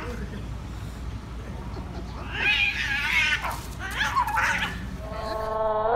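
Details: Angry cats in a fight: scratchy, quavering wails in short bursts over a noisy background, ending with a rising steady yowl.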